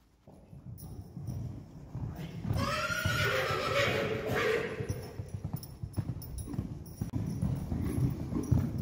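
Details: A Friesian horse, one of two young geldings filmed in August 2019 at about three years old, gives a loud, wavering whinny over low rumbling and hoof thuds.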